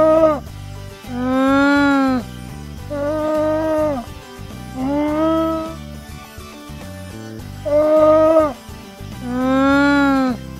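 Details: Llama making five drawn-out, nasal, harmonic-rich humming calls, each about a second long, slightly arched in pitch and spaced a couple of seconds apart, with soft background music underneath.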